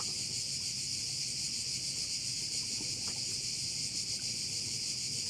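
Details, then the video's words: Crickets by one of the bays on Korčula: a dense, steady, high shimmering chorus that runs without a break, overlapping into a continuous hiss-like drone, with faint low outdoor rumble beneath. "Korčula - view of one of the bays in Korcula with sounds of crickets"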